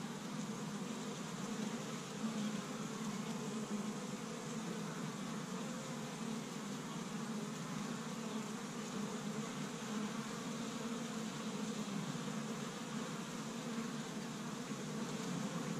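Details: Honey bees busy at an established hive on the first warm day of spring in Michigan, gathering pollen from tree buds; a steady, dense droning hum of many bees, unbroken throughout.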